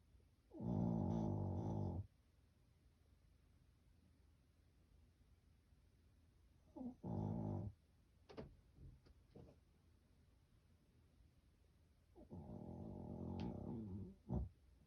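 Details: Sleeping Shih Tzu called Dungi gives three rough, rumbling snores of one to two seconds each, spaced several seconds apart, with small snorts and clicks between breaths in a quiet room.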